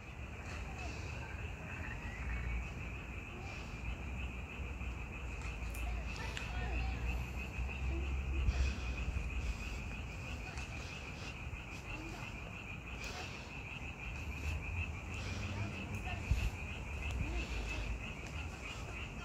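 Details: Frogs calling in May, a dense unbroken chorus forming a steady high buzzing band throughout, with low rumbling wind or traffic noise underneath and a few faint knocks.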